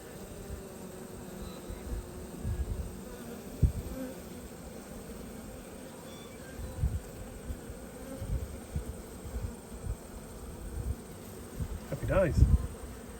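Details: Low, even hum of honey bees at an open hive during an inspection dated 19/3/22, with scattered soft handling bumps and a brief human voice near the end.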